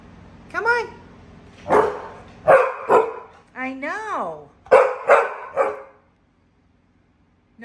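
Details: Mary, a female Pit Bull pet, talking and complaining indoors because she wants out on the deck near a hot grill; a run of short barks and rising-falling whiny yowls, about six sounds over six seconds, then silence.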